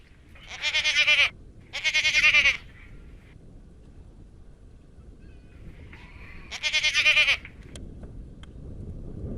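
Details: Garut goats on a farm; three loud, quavering bleats, two close together in the first few seconds and one more near the end, with quiet background between calls.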